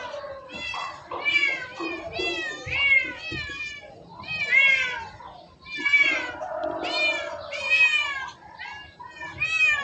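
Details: Cats giving a rapid series of harmonic meows, each rising then falling, in clustered bursts with brief pauses between them, mixed with some faint voices.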